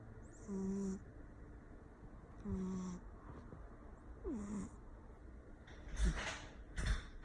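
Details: Persian cat asleep and snoring loudly, a nasal whistling tone about every two seconds, each lasting half a second, followed by a couple of soft bumps.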